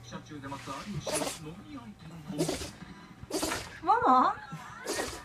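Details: A Shiba Inu suddenly gives several short, explosive sneezes on a Saturday in May, with a person talking in between; the owner suspects smoke from a mosquito coil caused them.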